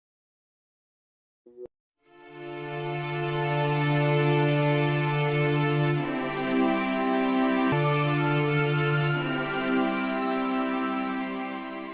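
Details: Near silence and a brief click, then soft sustained tender instrumental music swells in and holds steady chords to the end.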